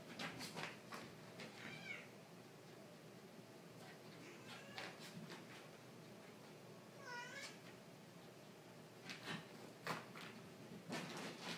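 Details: Two house cats squabbling in a half-renovated room, one starting the fight; short wavering yowls and meows in bursts, with scuffling thumps and clattering between calls.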